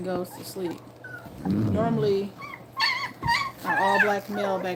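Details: Two-week-old puppies whine and yelp while nursing: short rising squeals, then longer bent cries rich in overtones, alongside snuffling and shuffling noise and a faint hum.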